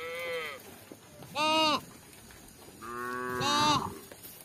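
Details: Tame village cattle wandering about looking for grass, giving three short moos within four seconds, the later two louder with a rise and fall in pitch, over faint background noise.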